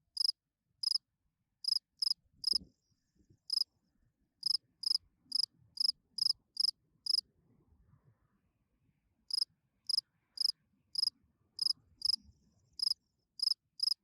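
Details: Night-time calling song of a field cricket, sung to attract females: bright, high-pitched chirps in steady runs, a short pause midway, then more evenly spaced chirps, with faint low rustling underneath.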